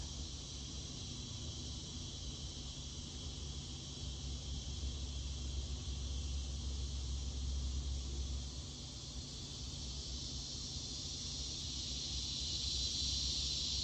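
Cicadas keep up a steady, high-pitched buzzing drone over a low background rumble.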